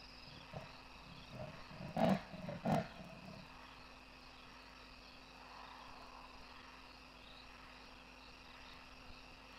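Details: At Kwa Maritane in Pilanesberg National Park, a large male leopard gives a sawing call of deep, rasping grunts, like a saw through wood.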